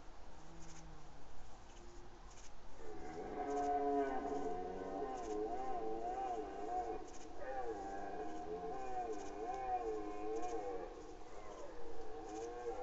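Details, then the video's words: Red deer call from afar at Badger castle at night, 13 September 2018 around 22:53: long, moaning, wavering roars that overlap and rise and fall for several seconds, over a steady low rumble; cranes also present. "calling of the Red Deer in the distance"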